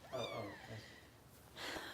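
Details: Harper, a foster kitten of about four weeks and roughly a pound, with Kitten Rescue volunteers in Los Angeles during bottle feeding, gives a drawn-out, descending mew lasting under a second, followed by soft rustling.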